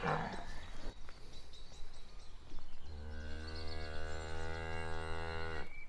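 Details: Cows walking: shuffling, scraping noises at first, then one long, steady, low moo held for nearly three seconds.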